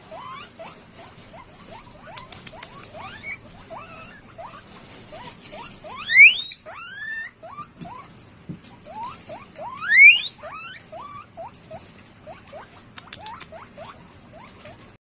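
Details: Guinea pig repeating short rising squeaks in a steady series, broken twice by long loud upward-sweeping wheeks, then returning to quieter chirps over a faint low background rustle.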